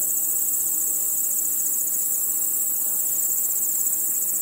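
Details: Crickets at night produce a steady, bright, high-pitched trilling wall of sound, densely pulsed and unchanging across the short stretch.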